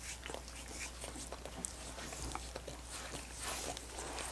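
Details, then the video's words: Busy licking from dogs on coconut water popsicles, soft wet laps and occasional sharp clicks growing denser toward the end, with a steady low hum throughout. "Dogs Licking Coconut Water Popsicles"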